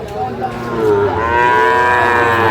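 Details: Sahiwal breed bull at a Comilla cattle market on 11 February 2025, giving a loud drawn-out moo whose harmonics rise and hold steady for over a second; buyers haggle faintly in the background.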